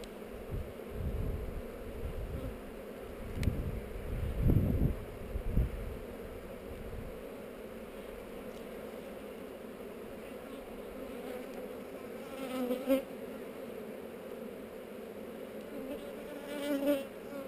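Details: GoPro capture of a honey bee hive inspection on heather: a persistent low hum with a faint overtone, broken early by a few dull knocks and thumps, with short louder bursts of buzzing later on.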